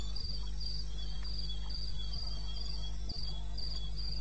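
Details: Night cricket chorus from eastern Botswana wilderness, 2:30 AM on 21 May 2016: bright, evenly spaced high chirps repeating roughly twice a second above a deep continuous drone, with occasional soft thumps.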